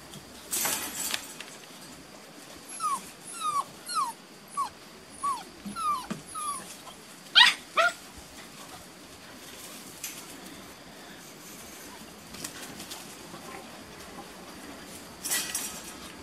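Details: Beauceron puppies at six and a half weeks, from working lines, in a new pen, recorded 27 May 2019; a run of short high descending whimpers repeated roughly every half second, then a few yelps, with quiet rustling between.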